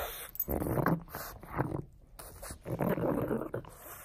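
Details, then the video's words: Frank the pug playing with a bone, giving low rumbling growls and snorting grunts in short bursts with brief pauses between them, indoors. "Bone buster Pug!"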